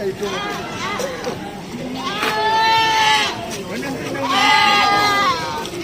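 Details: Goats at the busy Cot Iri goat market in Aceh Besar, Aceh: two drawn-out, wavering bleats, each about a second long, rise above steady crowd chatter and market bustle.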